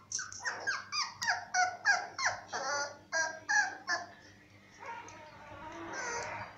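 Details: Young Cocker Spaniel pups born to a cocker mother and awaiting adoption at a Murcia veterinary clinic whimper steadily: about a dozen sharp, downward-sliding yelps in quick succession, trailing into a softer, drawn-out whine at the end.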